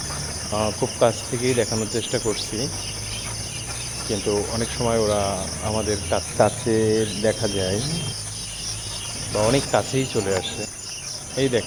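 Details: Several jackals howl together at night in overlapping wavering wails and short yelps, the chorus peaking mid-way, pausing briefly, then resuming, over continuous cricket trilling.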